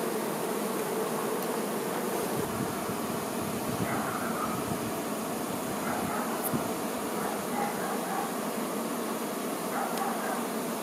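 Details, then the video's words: Honey bee workers tending their queen, a dense continuous hum of many insects with a steady low drone band and faint rising whines, level throughout. "Nature ASMR-honey bee"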